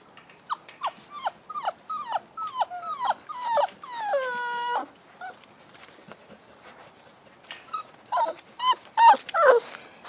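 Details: Five-week-old Boerboel puppies with their mother Cleo: a quick run of short, falling yelps about twice a second, then a drawn-out whine and a burst of higher, squealing whimpers, with soft rustling between.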